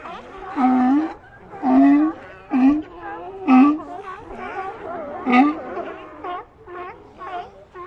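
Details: Colony of sea lions: loud, hoarse barks with a moaning quality, about five strong ones in the first four seconds, followed by a softer run of overlapping calls from more animals.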